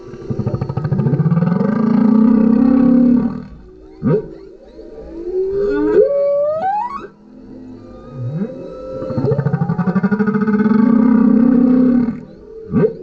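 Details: Male humpback whale song recorded from a kayak with a GoPro: two long buzzing low moans separated by upswept whistles and sharp rising cries, the pattern repeating in a regular phrase.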